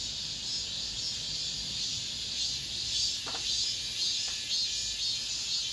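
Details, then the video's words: Late-summer cicada chorus in an apartment complex, the summer's last: a continuous high, sizzling wall of buzzing that swells slightly, with a couple of soft clicks beneath it. "올 여름 마지막 매미소리, 아파트 단지 내..."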